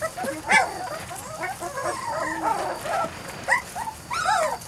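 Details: Weimaraner and Vizsla cross puppies, 3-4 weeks old, from one litter: several overlapping high whines and squeals, short rising and falling cries in quick bursts, with a few louder yelps near the start and end.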